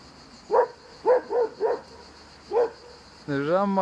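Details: A black female hunting hound on a river bank gives a series of short, sharp barks, some in quick pairs, others spaced apart, at a passing boat while running after it, with her owner encouraging her.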